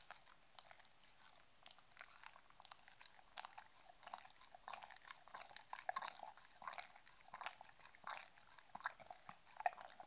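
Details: Indoors, Mindy the Shetland Sheepdog enjoys her treats up close. Steady wet chomping and crackly crunches run unevenly through the stretch and grow denser toward the end, with nothing else audible.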